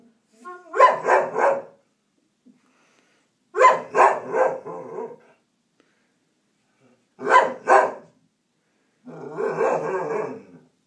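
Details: A puppy called Bonnie barks in three quick clusters of two to three sharp barks, spaced a few seconds apart, ending in a rougher, growly bark-grumble.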